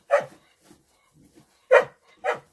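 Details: Three loud barks from a female dog in the hay: a single bark, a pause of over a second with faint soft noises, then two quick barks close together.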